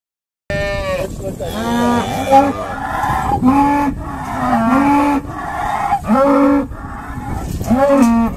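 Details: Irish Dexter cows at Stone Meadow Farm during a noisy day of sorting, several animals mooing in overlapping harmonic calls, some rising and falling, others short and clipped, following one another almost continuously with little pause.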